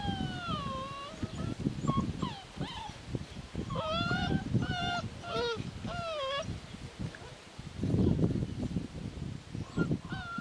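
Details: Puppies born 20 March 2017 give high, thin whining squeals, rising and falling in short bursts repeated through the recording, with low rustling and shuffling underneath.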